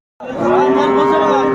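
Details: Sahiwal bull calf at a cattle market where a Dhaka farmer is buying calves, 30 November 2024; one steady, drawn-out moo with a flat, even tone begins abruptly after a short silence and holds for over a second.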